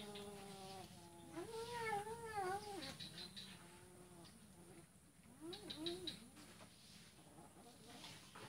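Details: Male cat letting a female eat first, recorded Sunday 2 December 2018 on Jalan Kolonel Sugiono, Kuala Kapuas, Central Kalimantan, Indonesia; one long arching, wavering meow, then a shorter rising-falling meow about three seconds later, with faint ticking feeding noises.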